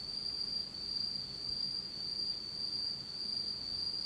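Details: Fall insects in Japan singing in the dark, a constant bright high-pitched buzz with soft rhythmic surges and a faint upper ringing tone, no other sounds.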